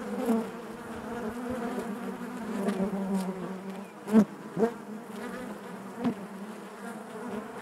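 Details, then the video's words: Steady collective hum of honey bees within the hive, a low buzzing drone with faint overtones, punctuated by a few brief loud buzzes as bees fly near around four seconds. "bees therapy hive natural buzzing sound"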